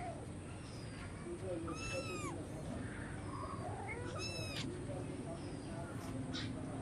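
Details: Hungry cats and kittens meowing to ask for food; two high, harmonic-rich meows arching up and down near the middle of the clip, with faint background chatter and a steady hiss.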